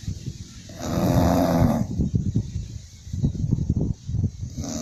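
An English Bulldog snores with a long, rumbling, low-pitched breath followed by quick snuffling snorts.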